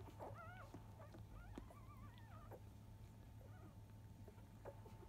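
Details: Five-day-old field-type Labrador Retriever puppies, from a litter born to biscuit, at their 10 a.m. nursing. A few thin, wavering squeals rise and fall in short bursts, with a steady low hum underneath.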